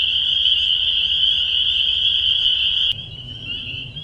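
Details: Spring peepers at the Bashakill, picked up by an acoustic monitor: a dense chorus of high, piping peeps merging into a steady shrill wall of sound. A sharp click comes near three seconds, after which the chorus drops in loudness over a low rumble.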